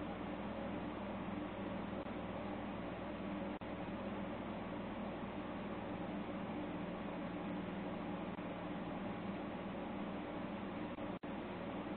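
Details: A constant droning hiss with low humming tones fills the room, much like a fan or air conditioner running. Apart from two brief dropouts in the noise, no animal calls or other distinct sounds come through.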